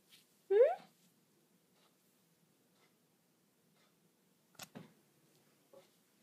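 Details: Daisy, a pet cat talking to her owner in a small room, gives one short rising meow with clear stacked harmonics, then quiet; later a few brief clicks and soft vocal sounds.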